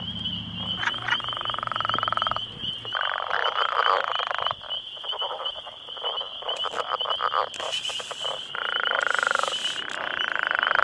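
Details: About ten male Northern Leopard Frogs call close by near a road, in their territory, calling for females amid turf wars: long, pulsed, snoring rattles that stop and start, with a steady high insect-like whine and brief low rumbling at the start.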